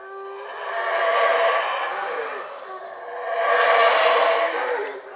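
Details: Two long, rasping roaring swells from howler monkeys in Chiapas, Mexico, each rising and falling over about two seconds, with a steady hum beneath.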